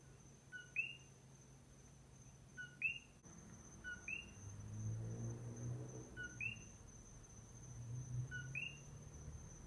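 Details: A single common coqui calling at night on the Big Island of Hawaii, among many others, repeats its two-note 'co-KEE' about every two seconds, the second note higher and rising.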